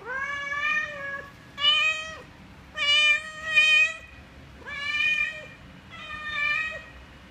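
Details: Mother cat caring for and feeding five baby kittens, making strange talking sounds to them: a run of six clear, rich, bright meows, each half a second to a second long with short gaps, level then dipping, in a quiet room.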